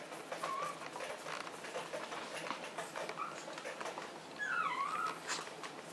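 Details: Lupin, a pet Maltese dog from Herzen rein kennel, whimpers indoors with soft, high whines, then a longer wavering whine that rises and falls near the end, over a quiet room hum.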